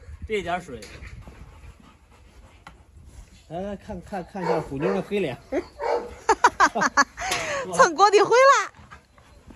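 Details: Dogs in a yard where a brindle Presa Canario female goes after a Rottweiler while a Staffordshire joins in; rising and falling whines and yelps come in bursts, with a man talking throughout.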